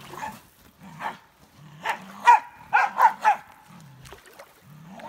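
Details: Norwegian Elkhound on a beach, excited and playing with sticks and sand; a burst of short, high yelping whines in quick succession mid-clip, with softer low whimpering tones in between and quiet outdoor background.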